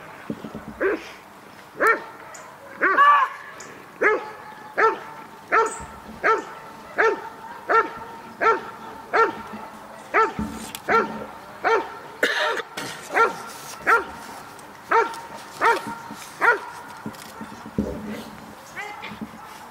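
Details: Dog giving repeated barks during protection work at a 2016 dog sport trial, a long run of sharp barks slightly uneven in pace, with scattered clatter and faint voices behind.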